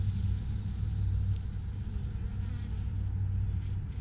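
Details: Bees at three Apimaye beehives, one requeened with a marked green queen, another given a fifth chamber for end-of-season honey; a steady low droning hum with layered harmonic bands runs unbroken throughout, faint hiss above.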